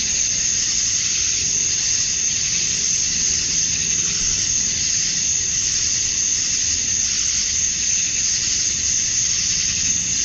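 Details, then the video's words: At dusk on a Georgia summer night, male cicadas sing to attract females. A dense, steady, high-pitched droning buzz gently swells and eases in waves over a quiet low background rumble. "Cicadas at Dusk, Summer Night"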